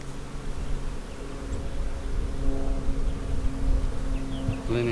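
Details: Colony hum of honey bees during an April 15, 2017 hive inspection of a split made March 4, brood frames in view: a dense low drone with a faint steady tone above it, and handling noise at the close.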